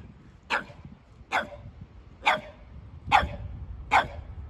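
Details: Sully, a Boston Terrier in a muddy hoodie, at play with his Keeshond brother Kumo; five sharp, clipped barks ring out at a steady pace, one roughly every eight-tenths of a second.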